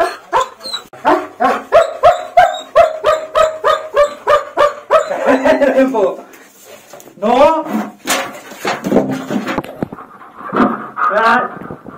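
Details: German Shepherd in the bath, upset and uncomfortable: steady rapid yapping barks for several seconds, then wavering whines overlapped by a person's voice.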